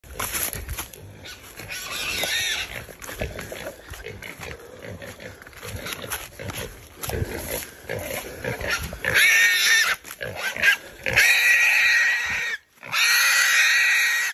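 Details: A feral hog caught by Belgian Malinois dogs during a hog hunt. Loud, harsh squeals come in long bursts, separated by scuffling and noise from the handlers.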